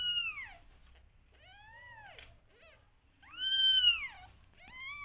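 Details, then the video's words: Meowing from a rescued mother cat's family with five kittens: short descending meows alternate with louder arched ones, about five calls in five seconds in a quiet room. "Rescued Cat Family A Mother Cat And Her 5 Amazingly Cute Kittens"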